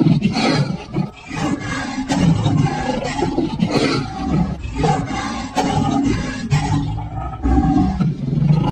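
A lion roars in deep, rumbling bursts, with what sounds like music running underneath.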